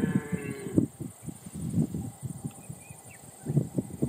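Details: A red deer in New Zealand gives deep, throaty grunting calls in a rough, pulsing series.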